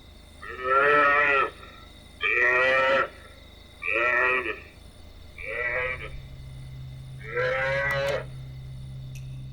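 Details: African buffalo calf calls played from a CD at night by a researcher on the Nile in Murchison Falls National Park to attract and count hyenas: five loud, harmonic, bleating moans, each about a second long, spaced every two seconds over a low hum.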